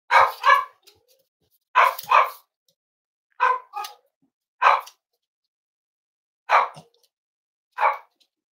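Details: Cavalier King Charles Spaniels raised as emotional support animals at home, recorded during a snuggly livestream: sharp, high barks mostly in quick pairs, repeated about every one to two seconds with silent gaps between.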